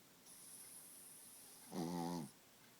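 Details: A small Pekingese gives one surprisingly loud, low, rattling snore over a faint, steady high-pitched whine.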